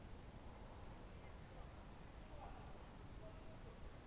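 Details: Crickets at dusk, June 2023, Novye Buregi tract in Russia's Novgorod Oblast: a high, finely pulsed trill holds steady across the whole stretch over a quiet low background hum.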